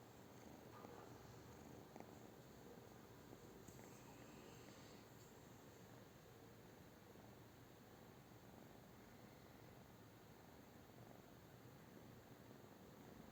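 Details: Low steady purring from a British Shorthair cat, a muffled rumble throughout, with a few brief rustles and faint higher squeaks early on.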